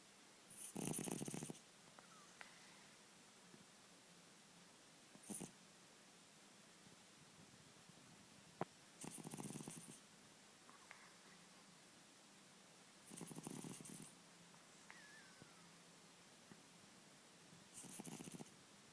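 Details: Sleeping ten-year-old cat snores steadily: hoarse, airy breaths about every four seconds, each lasting under a second, in a quiet room with faint background hiss and an occasional small click.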